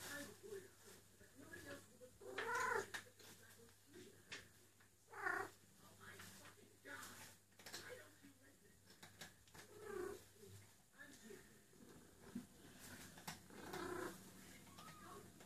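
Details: Eule, a female cat in heat calling for a mate, cries while busily rubbing her neck fur: two loud, strained, harmonic yowls a few seconds apart, then quieter murmurs and rustling in a room with faint background hum.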